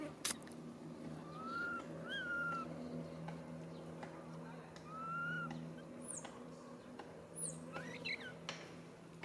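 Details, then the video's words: Baby monkey calling to its mother for help, giving three drawn-out tonal coos that rise then fall, a few high squeaks later, over a low steady hum with faint voices. "Po-or baby monkey RAIN calling mom RANY to helps but can't."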